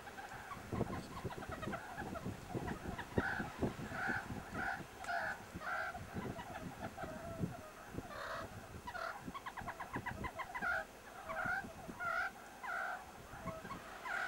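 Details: Rough-and-tumble play among meerkats at the Kalahari Wildlife Sanctuary, with repeated brief arched squeaks in quick bursts, some rapid chattering series, and scraping, thumping movement sounds throughout.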